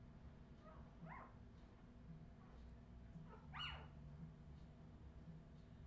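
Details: Australian Terrier puppies, Redwing litter of 2018: two sharp, rising yelps, the second louder and squeakier, separated by a couple of seconds, with a low background hum throughout.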